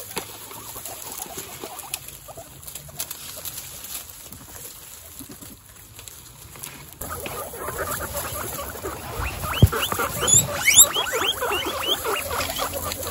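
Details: Excited female guinea pigs from a herd of 26 stand up and wheek. Quiet rustling fills the first seven seconds, then a dense chorus of shrill, rising, squealing whistles follows in rapid overlapping succession.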